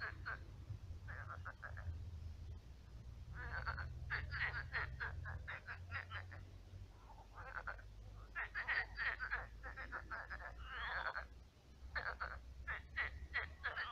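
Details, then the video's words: Frogs croaking at night in a shrunken pond that has become a swamp full of frogs; rapid pulsed, rattling croaks in overlapping bursts with brief pauses, a steady low hum beneath. "Кваканье лягушек. Лягушки квакают."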